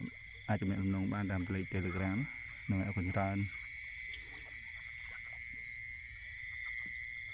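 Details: Young frogs croaking: two bouts of deep, rapidly pulsed, buzzy croaks in quick succession, the first longer, then quiet, with a steady high-pitched whine running throughout.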